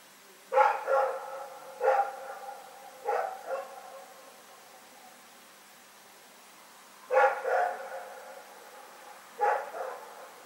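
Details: Rex the dog barks in the night, 27 February 2018 recording: a run of paired and single harsh woofs, a pause of several seconds, then two more barks resume in a still, quiet setting.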